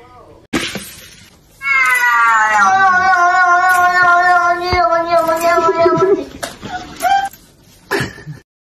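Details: Indoor domestic cat letting out one long, drawn-out, wavering yowl lasting several seconds, with a person's voice and short noises before and after it.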